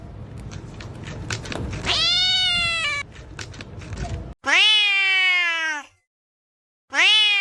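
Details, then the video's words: Kitten meowing in a compilation: a loud meow over rustling background, then two strident drawn-out meows, rich in harmonics, rising and falling, with a clean silent gap between. "Kitten meowing compilation"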